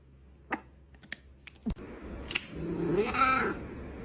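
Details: Cat indoors giving one soft, drawn-out meow that rises and then falls, preceded by scattered light clicks and taps in a quiet room.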